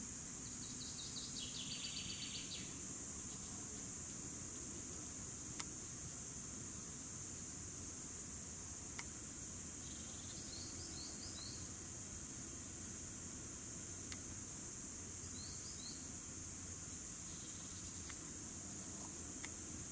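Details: Cicadas recorded in 2017, a steady high-pitched continuous buzz running the whole time, with brief chirping notes of another creature near the start and around the middle and end, over a low rumbling background.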